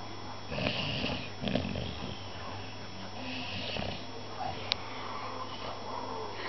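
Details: Puppy dreaming and snoring indoors: soft, low, rhythmic snores with breathy sniffing bursts near the start and middle, one sharp click about two thirds through, steady low hum beneath.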